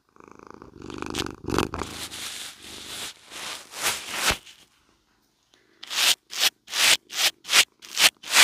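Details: House cat purring as it is brushed, loud close microphone: a rumbling, pulsing purr mixed with rubbing for about four seconds, a short pause, then a run of eight loud rhythmic bristle strokes.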